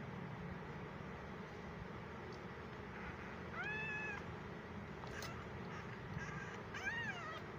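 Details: Tiny fifteen-day-old abandoned stray kitten, left alone by its mother in a gallery, unhappy in its new home: two thin, high meows, rising then falling, about three seconds apart, over a steady low background hum.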